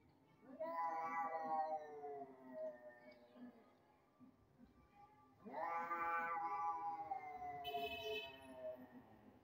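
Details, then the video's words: Sad domestic cat, said to think its owner has replaced it with another cat, gives two long drawn-out wailing meows, the second rising then slowly falling, with faint background music and a brief high tone near the end. "cat feel really sad because they think owner replace in other cat"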